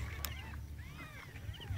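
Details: Thin rising-and-falling mews from newly born kittens looking for their mother, two or three quick cries over a constant low background hum.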